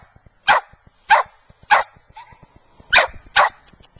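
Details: Five sharp, raspy barks from Fergus, a white Scottish Terrier in Wellsville, New York, come in two bursts: three evenly spaced yaps, a gap with a faint short tonal sound, then two quick barks close together.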